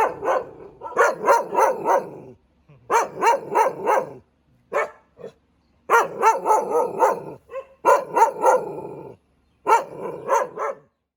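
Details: Rapid, harsh barking from a Thai Ridgeback dog, given in quick clusters of four to six barks with short silences between clusters, about three barks per second within each burst.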